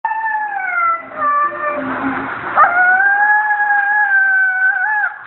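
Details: A female Siberian Husky, after being groomed, howls in long, wavering tones that slide downward, then hold steady.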